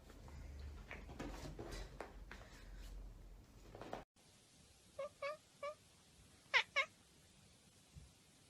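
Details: House cat heard after a stretch of muffled rustling, giving five short, soft chirping meows in two quick bursts against a quiet background.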